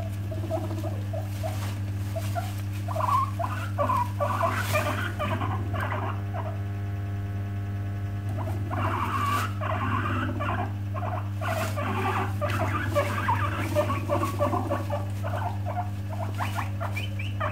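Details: Angry or upset guinea pig warning others to keep away with teeth chattering: bursts of brief chirping squeaks and clicks, thinning midway then resuming, over a constant low electrical hum.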